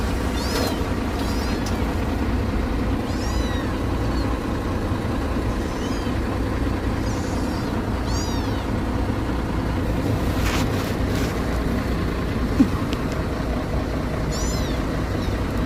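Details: Mischievous little kitten climbing up in search of food, giving thin, high, rising-and-falling meows scattered through the clip, several seconds apart, over a steady low rumble like an engine or traffic.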